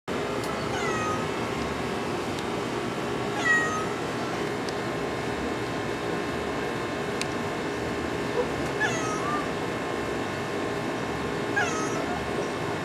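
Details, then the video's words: Orange tabby cat meowing: four short descending meows spaced about three to four seconds apart over a steady low background hum. "Orange Tabby Meow"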